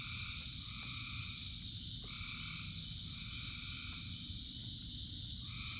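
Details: Rain-soaked frog chorus: constant high-pitched trilling with drawn-out notes that rise in and fade every second or two, backed by the continuous low wash of falling rain.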